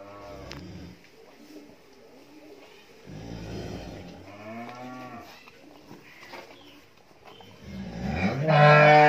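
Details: Friesian heifer calf, 13 months old, on a dairy farm in Bhangura, Pabna, Bangladesh; several low, harmonic moos, the clearest rising then falling around four seconds, with a louder bawl starting at the end.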